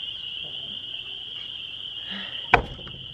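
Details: A spring peeper (Pseudacris crucifer) chorus at about 8:20 on a warm, balmy spring night blends into a steady, shrill, high-pitched ringing drone.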